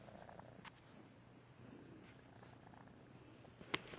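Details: A 5-month-old male feral kitten, recently neutered and recovering from a leg injury, purrs steadily during a belly rub, a low continuous rumble with an unusually croaky, froglike edge.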